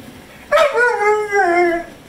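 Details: Pit bull dog complaining to its owner indoors about wanting more treats and peanut butter: a wavering talking howl, rising briefly then stepping down in pitch over more than a second.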